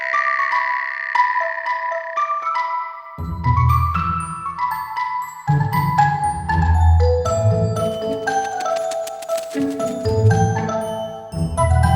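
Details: Bright mallet percussion, marimba and glockenspiel tones, rings out over a deep pulsing beat, with no cicada or other animal heard.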